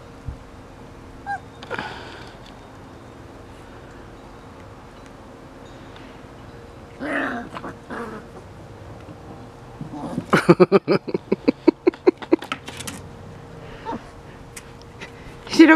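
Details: Five-week-old Bernese Mountain Dog puppies playing together in a yard on their second day outdoors: scattered soft whimpers, then a burst of rapid high yips and barks about ten seconds in, with some quiet background hum.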